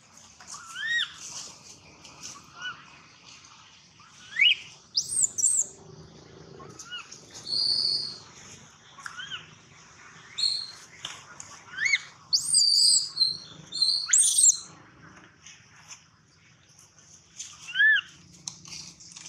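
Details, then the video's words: A baby monkey, Gino, crying loudly and at length, mixing mid-pitched arched wails with clusters of shrill high screams, denser in the middle, then tapering to single whimpers. "Poor baby monkey Gino crying sound loudly a long time till Quiet"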